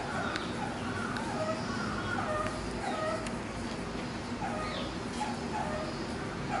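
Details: A 55-day-old baby meerkat at Inokashira Park Zoo, recorded 19 September 2019, gives short, squeaky peeps and yips over steady background noise.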